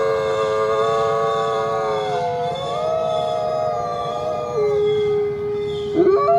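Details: Group howling of coyotes, layered long held tones that waver gently, one voice gliding up then dropping lower, closing with a brief broken yelp at the end.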